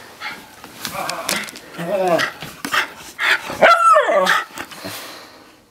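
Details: Mikah, a Miniature Schnauzer, in a freakout after a bath indoors: a few harmonic yelping barks rising and falling among overlapping human speech and laughter in a small room.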